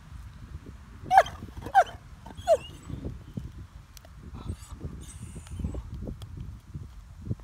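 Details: Great Dane named Mikey barking while Ellie, another Great Dane, keeps a stick from him during play; three short yelping barks in the first three seconds, then chewing and rustling noises with low rumble.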